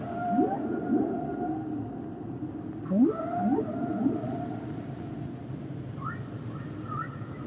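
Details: Humpback whale song built from quick rising whoops in short groups, each sliding into a drawn-out level tone, later short high chirping upsweeps, all above a low continuous underwater rumble.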